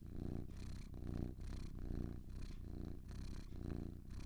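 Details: Two cats purring, recorded for calming listening: a steady low rumbling purr pulsing in alternating in-and-out breaths roughly every half second, with soft airy hiss riding above each breath.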